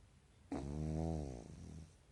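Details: Pekingese dog snoring indoors while napping during the day in REM sleep with its eyelids not fully closed; one rough, buzzy snore of about one and a half seconds, with a low steady drone, then quiet room noise.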